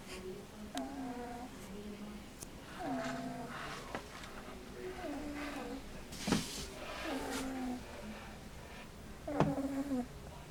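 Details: Sleeping English Bulldog puppy, seven weeks old, named Kathleen, makes a run of short whistling, nasal snore sounds, each sliding downward, repeating roughly every one to two seconds, with occasional sharp knocks and rustles.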